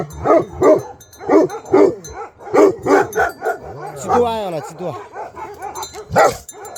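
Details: Himalayan sheepdog in Nepal barking in a steady rhythm of heavy, gruff barks about twice a second, then a short falling whine, with a human voice calling briefly.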